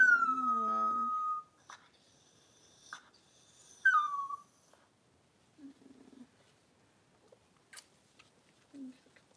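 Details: Cavalier King Charles Spaniel mother, Daisy, whelping a litter of six puppies; high, falling squeals and whines from newborn puppies, a long cry at the start, then shorter squeaks and soft low grunts spaced over several seconds.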